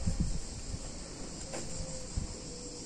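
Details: Cicadas singing on a hot summer day in a picturesque Italian town: a steady, high, shimmering buzz runs without a break beneath a low rumble and scattered soft thumps.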